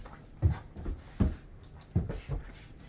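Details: An excited Great Dane puppy going wild gives deep, short woofing bursts in pairs, roughly every three-quarters of a second.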